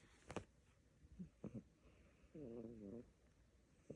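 A sleeping Siamese kitten snores with a low, buzzy, wavering tone amid soft breathing and small clicks.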